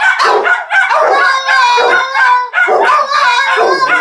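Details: Dog giving an odd, broken-sounding bark used as an alarm: loud, strained harmonic yelps with wavering pitch, several in quick succession over four seconds.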